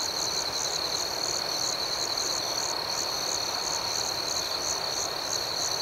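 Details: Nighttime cricket chirping, an unbroken high, even trill paired with a faster, bouncing pulse of chirps repeating about three times per second, steady in volume throughout.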